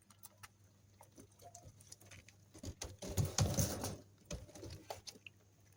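A young rabbit suckling, soft wet clicks and smacks that quicken into a busier burst, over a low hum.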